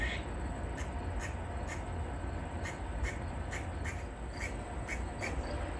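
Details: Short, harsh barks from a grey squirrel up a tree, an alarm when a predator is near. The chucks repeat roughly every half second over a constant low-pitched hum.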